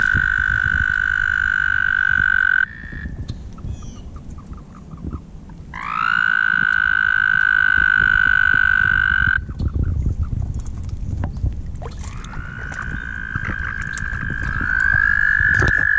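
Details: Mating toads at the Guildwood waterfront give long, steady, high trills, several overlapping and stopping and restarting one after another, over a low rumbling background.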